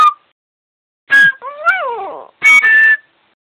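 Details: Yorkshire Terrier singing along to music with one drawn-out howl that climbs, peaks and slowly sinks, framed by two loud, bright instrument bursts.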